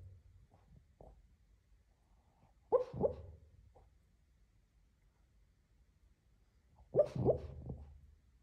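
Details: Lhasa Apso barking while asleep and dreaming, two short bursts of muffled, soft woofs about four seconds apart, each a quick cluster of two or three stifled barks in a quiet room.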